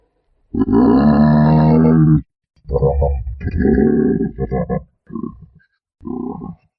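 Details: Giraffe vocalizing: a long, deep, harmonic groan lasting more than a second, then several shorter rough grunts and moans separated by brief silences, with no other sounds.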